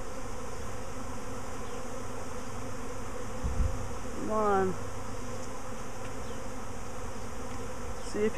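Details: Swarming honey bees, landing on the recordist's finger and head a week after an earlier swarm: a dense, steady low buzzing hum throughout, with a brief squeaky chirp midway.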